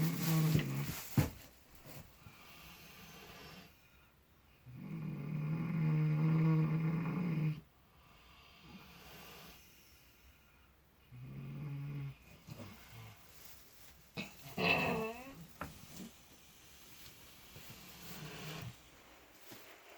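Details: Miniature potbellied pigs dozing in fresh straw, seemingly dreaming; irregular low snores and snorts spread over twenty seconds, with a brief higher squeaky sound near the middle and soft rustling.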